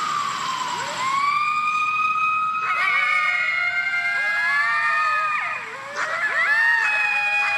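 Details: Coyotes howling in a chorus of several overlapping wavering, sustained tones that slide and break off, with short yipping bursts near the end; a pack sound described as common where packs lived.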